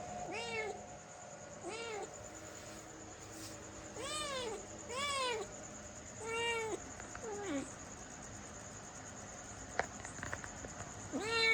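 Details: A cat meows about seven times in a loose series of arched, plaintive calls, some with a slightly strained edge, alongside a faint constant hum and a few soft clicks.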